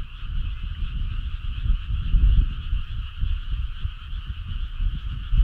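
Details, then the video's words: Summer-night frog choir, many voices blending into one continuous trilling drone at two steady pitches, partly masked by strong, fluctuating low-frequency rumble. "Cool frog sound"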